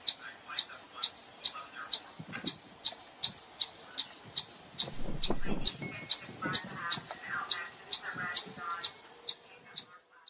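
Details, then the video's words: Chipmunk giving sharp, high, clicky chips repeated steadily about twice a second, over twenty in a row, with low murmuring and rustling noises beneath. "Chipmunk sound for kids"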